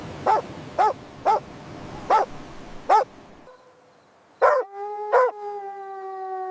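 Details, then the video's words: Puppies at play with baby rabbits on fresh grass outdoors; a run of five evenly spaced, sharp barks about half a second apart, a pause, then two barks blending into a long steady whine. "Dog barking sounds"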